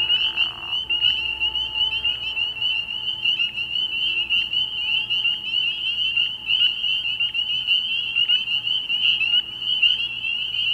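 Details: Dense nighttime chorus of spring peepers at a frog pond in early spring: many high piping peeps overlap into a continuous shrill whine, with sharper single notes standing out, and a brief soft rustle at the start.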